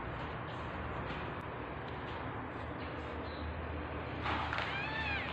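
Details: Tabby cat in labour giving birth to kittens: after a stretch of low droning background noise, one clear wavering meow rises and falls in the final second.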